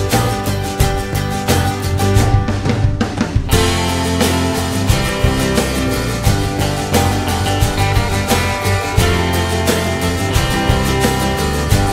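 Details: Plucked guitar music with drums and a country feel plays throughout, and no animal sound.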